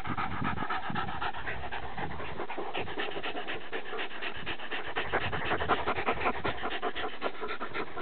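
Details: Panting from one of a pair of playing dogs, a Deerhound Lurcher and a Patterdale Terrier, out on Exmoor. Loud, fast, rough breaths run on without a break, close to the microphone, with low rumbling beneath.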